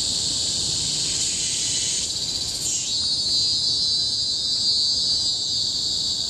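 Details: Cicadas shrill loudly in Singapore's Bukit Timah Hill forest, 2017; a dense high drone with a rising sweep around two to three seconds, then a flatter, steady whine to the end.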